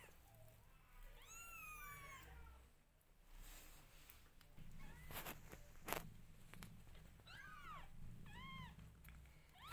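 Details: Loud mewing from newborn kittens as the mother cat grooms them; bursts of arched, high-pitched cries early and late, separated by rustling and a few sharp clicks from movement.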